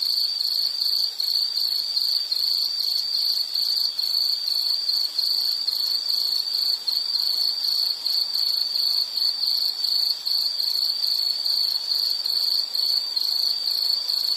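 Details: Insects calling in a nature soundscape for study or sleep: a steady, high, pulsed chirping trill repeated rapidly and without pause, with faint buzzing overtones above and no other clear sounds.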